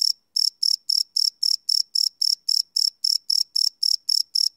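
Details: Night-time cricket chirps captured live with no loops: a steady series of bright, high-pitched buzzy pulses, roughly four or five per second, after a brief silent gap at the start.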